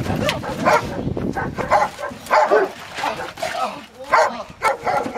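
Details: Rottweiler barking during protection training, on its first time biting a sleeve; short, harsh, broadband barks come in uneven bursts roughly every half second to second, with a person talking over and between them.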